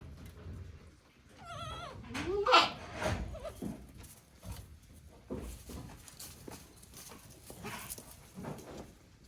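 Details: Day-old goat kids on a handmade goat farm in Japan, recorded 17 April 2024; one short, wavering, high bleat with a shaky tremolo, followed by scattered rustling, thumps and faint murmuring.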